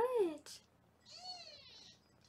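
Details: Meowing foster kitten in a Los Angeles kitten cam room during weighing; a loud opening sound mixed with human talk, then a softer rising-and-falling meow.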